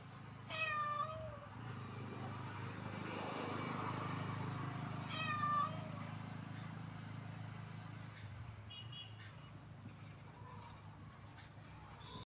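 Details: Two short meows from a cat, five seconds apart, half buried under a broad rushing background noise, with faint chirps near the end.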